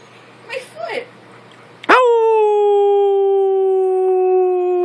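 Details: Siberian Husky being coaxed by its owner to make noise: after a moment of human speech, the dog launches into one long, level, steady howl held for about three seconds.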